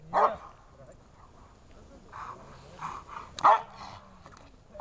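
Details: Dobermann in protection training, barking: three loud, harsh barks come at the start, at about three and a half seconds and at the very end, with quieter voiced sounds and a man's speech in between.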